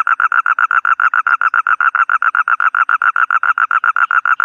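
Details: Toad call: an unbroken run of evenly spaced, buzzy mid-pitched pulses repeated roughly seven times a second, loud and close, with no other sounds around it.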